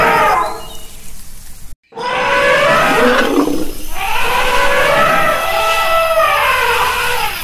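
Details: Elephant trumpeting in loud, harmonic blasts that rise and fall, with a brief silent cut near two seconds, then a long wavering trumpet that holds steady before bending downward.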